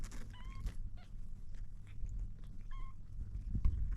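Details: A kitten trying to drink milk lets out two short, thin mews about two seconds apart, amid quiet wet licking and clicking sounds.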